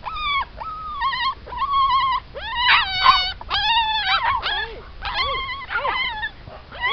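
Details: A litter of Siberian Husky puppies, including agouti, black-and-white and red frosted pups, giving many overlapping high whines and yelps, some drawn out and wavering, others short and falling, in a busy chorus.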